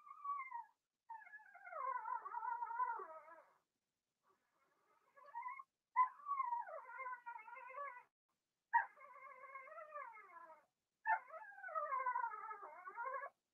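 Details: Cavalier King Charles Spaniel puppies, Blenheim litter of two females and four males, kept in a home puppy pen; long wavering whines and howl-like cries that rise and fall, in four drawn-out bouts separated by pauses.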